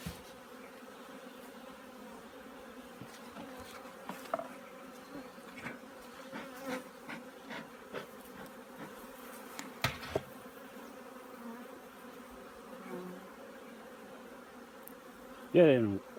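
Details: Wintering preparations at a honey bee yard: a low, steady hive drone with a clear humming tone persists for the whole stretch, broken by scattered knocks and clicks and a sharp rising squeak near the end.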